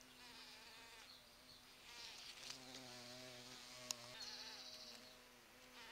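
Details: Big bumblebees working the fragrant flowers of a sete capotes tree (Campomanesia guazumifolia) in a garden in November; an overlapping, rising and falling drone from more than one bee, with a deeper hum joining briefly midway.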